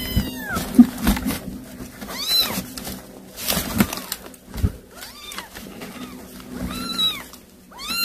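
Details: Calling her kittens after catching a mouse for them, a cat gives short arched meows in spaced bursts, some in quick pairs, over a steady low hum and occasional knocks.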